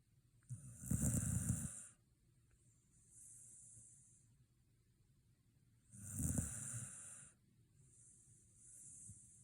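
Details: Shiba Inu fast asleep following a dog run visit, snoring in two strong rattling breaths about five seconds apart, each trailed by a soft hissing exhale.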